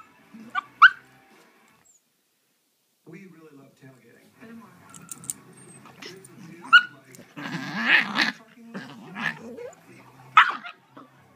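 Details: Two 3.5-month-old cream Shiba Inu puppies, sisters from the same litter, trade sharp yips, whiny grumbles and a harsh squealing outburst back and forth.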